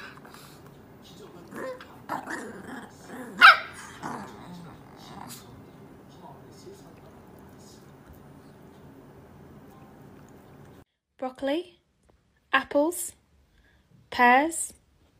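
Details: Angry Chihuahua puppy giving three short, sharp, harmonic barks near the end, each about a second apart, after a long stretch of quiet background and a few spoken words.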